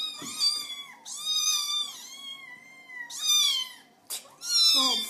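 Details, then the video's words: Little kittens meowing to get their owners' attention, indoors: high, drawn-out harmonic mews, several overlapping, with a short sharp break near the end. "Little Kittens Meowing"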